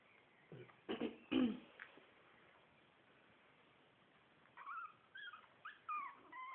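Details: Four-week-old Shih Tzu puppies from a litter: a few muffled knocks and thuds first, then a burst of high, thin whimpering squeals that rise and fall in quick succession over the final two seconds.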